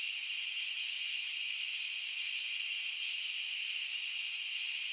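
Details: Continuous cricket trilling, high-pitched and even in loudness, with multiple overlapping voices blending into a constant shimmering drone. No other animals, wind or people.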